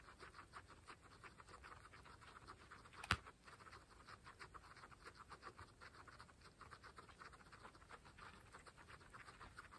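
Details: Pet guinea pigs, pregnant females among 26 kept together, nibble fresh grass. Fast, fine chewing ticks repeat steadily at low volume, broken once by a single sharp crack just after three seconds.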